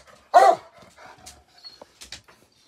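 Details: Coonhound impatient for his walk gives one loud, harsh bark, followed by quieter indoor thumps and clicks.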